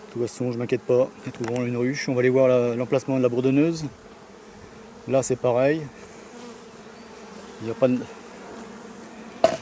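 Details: Honey bees from a drone-laying hive, frames shaken about fifty metres from the apiary so laying workers cannot return to the hive site. Loud droning buzzes of bees flying close by rise and fall in pitch, clustered in the first four seconds, then scattered passes.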